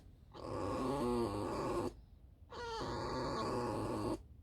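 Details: Alice, a pet fox, squeaking: two drawn-out harmonic whines of about a second and a half each, wavering slightly in pitch, with a short pause between them.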